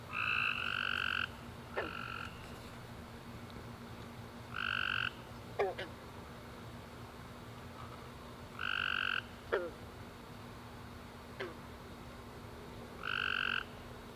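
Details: Tree frogs calling after a rainy summer day at night, sparse trilled bursts about once every four seconds, with faint clicks and a steady low hum underneath.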